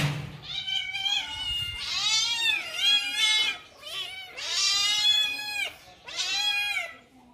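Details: Kitten indoors at home, alone and searching for friends, gives a run of loud, high, drawn-out meows, rising then falling, about four long cries with short gaps between them.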